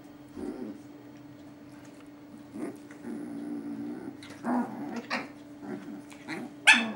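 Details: Dogs at play: a 13-week-old, one-kilo Chihuahua puppy and a 4-year-old, 75-kilo Boerboel. A steady low hum runs underneath, broken by short growly, yappy bursts that build toward a sharp, loud yip near the end.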